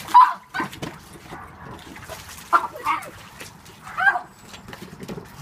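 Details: A pug, angry at a toy shark, gives short, sharp, nasal yaps and grumbling barks in separate bursts, about five across the stretch, with quiet gaps and soft rustling between them.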